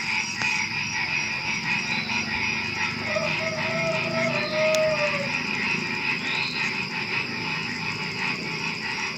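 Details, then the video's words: Night chorus of frogs before dawn, with crickets also present: unbroken pulsing croaks form a thick wall of sound, and a brief drawn-out whistle rises and fades midway. "Suara Kodok Menjelang Subuh"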